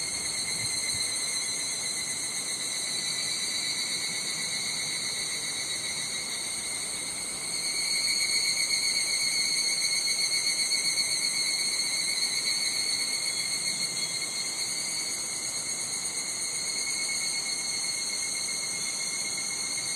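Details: Higurashi cicadas calling on a Japanese summer day at Nishigo, Fukushima: steady, shrill, high-pitched ringing bands held throughout, slightly louder in the middle stretch, with some wind noise underneath.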